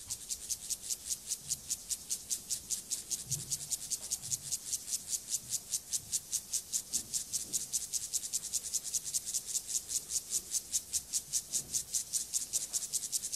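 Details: Male Siberian grasshopper, Gomphocerus sibiricus, delivering its courtship song to a female ahead of copulation; a long, very regular run of loud, high, buzzy rasps, about two or three per second, with faint low rustles underneath.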